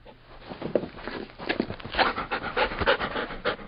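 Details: Short stretch of loud, close Labrador Retriever panting, dense breathy huffs with a wet, rasping texture running almost without pause.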